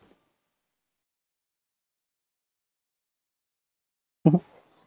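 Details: Near silence for about four seconds, then a short burst of a human voice at the end.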